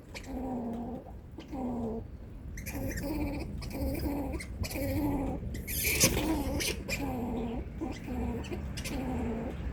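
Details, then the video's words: An angry squirrel gives harsh, nasal, moaning warning calls about once a second, each drawn out and slightly falling, with a sharp knock partway through. "Angry squirrel making warning noise"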